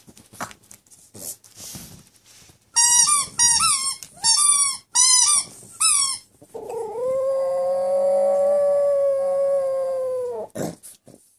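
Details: A Boston Terrier squeaks a toy five times in quick succession, each squeak bending up then down, then lets out a sustained, even howl of about four seconds before breaking off.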